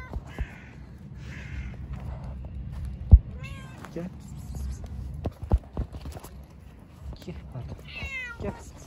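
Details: Park-dwelling cats give several short, quieter meows, some rising then falling in pitch, spread across the stretch amid low rumbling background, footsteps and Turkish speech.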